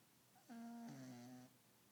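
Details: Chili the dog, asleep, dreaming and twitching, gives one short whimpering moan with a clear tonal pitch that steps downward partway through, lasting about a second in a quiet indoor room.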